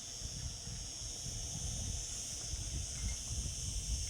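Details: Cicadas in summer produce a constant high, sizzling drone with no pauses, partly masked by a strong, fluttering low rumble like wind.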